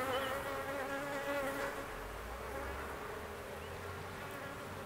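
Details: Swarming honey bees around a big queen, giving a continuous layered buzzing drone with wavering higher tones that fades slightly toward the end.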